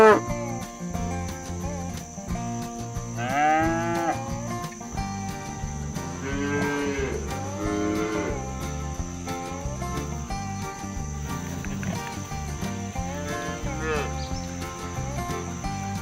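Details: Cows roaming the fields while being herded home to the barn, calling their friends to come back. Several arched, harmonic moos rise and fall, clustered between about three and fourteen seconds, over steady background music with a plucked rhythm.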